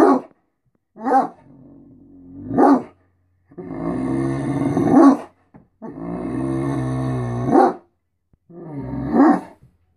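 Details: Great Dane talking in the morning, wanting to be fed and for attention: long, grumbling, moaning howls with harmonic stacks, interspersed with short rising yelps, about four drawn-out bouts across the stretch.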